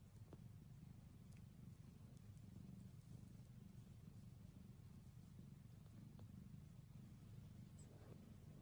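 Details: Cat purr, a deep, rough drone held without pause, with a few soft taps and small noises drifting above it.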